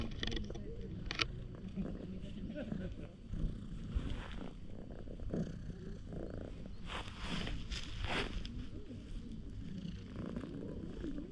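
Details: Stray cat rolling over and pulling a funny face while seeking affection, purring loudly, filmed on a GoPro HERO8: a continuous deep rumble runs throughout, with human voices and rustling bursts over it, loudest near the end.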